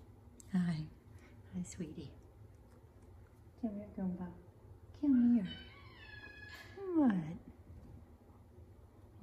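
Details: A Savannah cat answers its owner's calls with a string of crying meows. Some are brief and low, and one is longer, swooping up and then down. Several come about every second or two, with the owner talking alongside.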